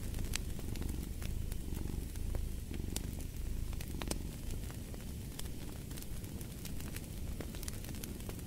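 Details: A cat's continuous low purr, its rhythmic pulsing less distinct here, sits under frequent snapping fireplace crackles in a calm bedtime mix.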